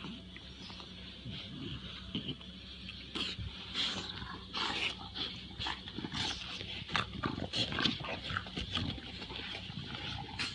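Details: English Bulldogs, two young dogs aged about one year, recorded 1 January 2016; irregular bursts of snuffling, pig-like snorts and rough grunts, broadband and raspy, over a steady low hum.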